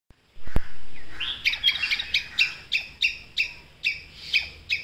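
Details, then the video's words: A squirrel gives sharp, chirping "kuk" barking calls, repeated about three times a second, an alarm call that alerts other squirrels to a predator. "Squirrel kuk” sound"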